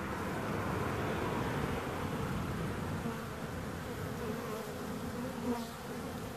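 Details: Bees buzzing steadily, a dense low hum with a droning band around the middle pitches, many wingbeats blending into one continuous sound with small swells in loudness.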